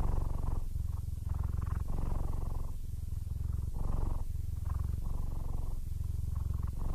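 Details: Low, throbbing purring from Aris, an almost blind 15-year-old male Siamese, happy despite his failing sight. The rumble comes in loud, even bursts about every second as he breathes in and out.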